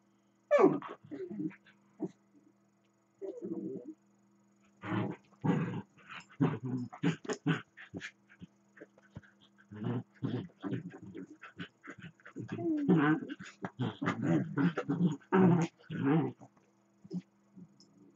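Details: Two domestic dachshunds wrestle in play, one dog running and grumbling around the other lying down: a long stretch of busy, throaty growls and snorting grumbles, dense and uneven, with a faint steady hum behind.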